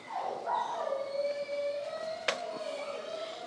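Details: Anxious, very vocal dog during a confidence-building training session, giving one drawn-out whine that slides down and then holds a steady, slightly rising pitch, with a sharp click partway through.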